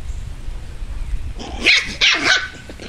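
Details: Seven-week-old Chihuahua-Beagle mix rescue puppies, a litter from one mother: after a second and a half of low rumbling background, three short, high, harsh yelping barks come in quick succession.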